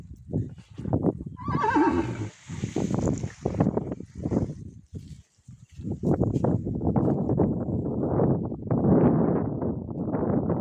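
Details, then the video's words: Horse, a stallion recognising his mare, gives a loud whinny near two seconds, a shaky descending call, amid heavy low rumbling, hoof clatter and handling noise throughout. "Жеребец узнал свою подругу"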